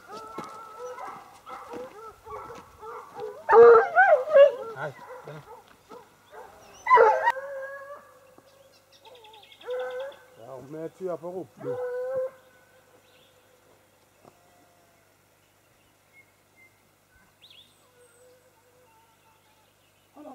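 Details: Sparks hounds giving long, wavering, harmonic howls and bays, loud for the first twelve seconds with overlapping voices, then trailing into near silence with a few faint distant notes; a brief human voice is mixed in early.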